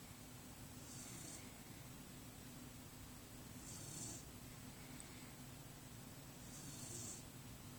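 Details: Sleeping under her blanket, Brynn the dog breathes in soft, gentle snores, low and rhythmic, roughly every three seconds, barely louder than the constant room hiss.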